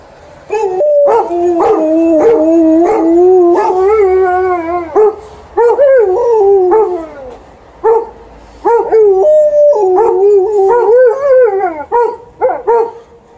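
Two dogs howl together in long, wavering, yodel-like tones broken by short yips.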